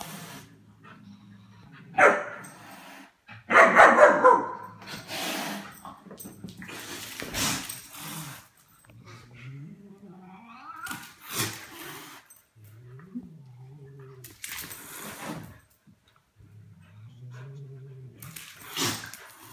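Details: German Shepherd pup roughhousing with cats: a couple of loud barks early, then low rumbling growl-like tones that rise and fall, broken by brief noisy bursts and softer yips.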